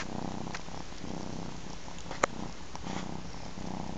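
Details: Three-month-old ginger kitten nursing from its mother cat; a low, steady purr rumbles throughout in pulsing cycles about a second apart, with a single sharp click midway.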